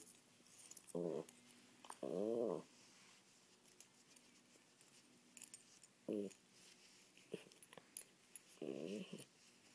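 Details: Tasha, a poodle, lets out scattered short barks and yaps, one slightly drawn-out, with quiet pauses between them in a small indoor room.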